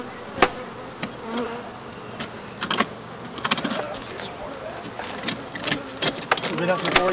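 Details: African honey bees buzzing as their hive is removed. Brief wavering buzzes come and go among sharp knocks and clicks from the removal work.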